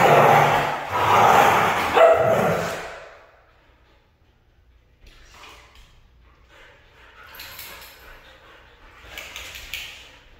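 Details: Red female Siberian Husky utters a loud, hoarse wavering howl lasting about three seconds, then the recording drops to soft background rustles and faint distant noises.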